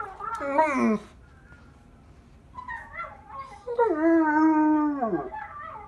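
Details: A family group of pet dogs, mother and two brothers, one a German Shepherd, singing together: a short falling wail, a pause, then a long, strong, harmonic-rich howl holding steady before dropping sharply.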